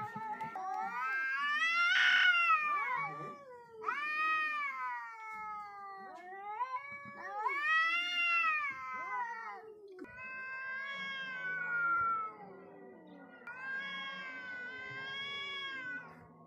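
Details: A confrontation between two wild cats: loud, rich wailing howls swell and sag in pitch, several long arching yowls following one another with brief breaks and a low undertone between them.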